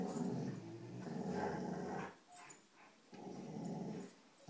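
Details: Indoor tug-of-war with a rope among dogs Cujo, Kali and Lilly: a low continuous rumbling growl for about two seconds, a short quieter pause with light scuffling, then the growl resumes.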